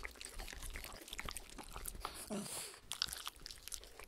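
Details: Treat-licking by a Shetland Sheepdog, Spencer, sharing a clear acrylic sheet with a miniature Schnauzer, Oreo. Quick wet tongue clicks and smacks come in a dense, uneven patter, with a brief brighter hiss midway. Nobody talks.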